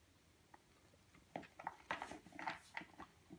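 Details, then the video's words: Eight-and-a-half-week-old purebred European Doberman Pinscher puppy eating in a small room; near silence at first, then a run of sharp crunching clicks and mouth smacks in the second half. "Doberman pinscher puppy eating, 8 week"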